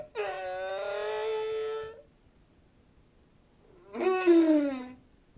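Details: Humpback whale song recorded underwater, with the whale and a passing school of opelu nearby: a long harmonic moan held steady near two seconds, then after a pause a second rising-then-falling wail with rich overtones.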